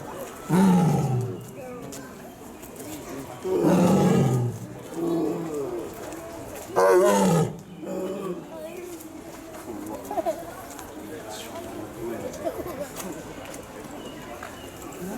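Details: White tiger at Utsunomiya Zoo, Japan, recorded 2 April 2017: four loud, deep, rough roars in the first eight seconds, each about a second long and falling in pitch, followed by quieter rustling and faint background sounds.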